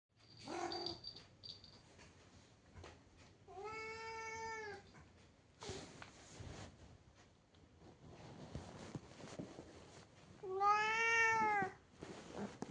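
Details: Domestic cat indoors giving two long, drawn-out meows with rich harmonics, each about a second, plus a short raspy call at the start; a woman speaks Bengali afterwards.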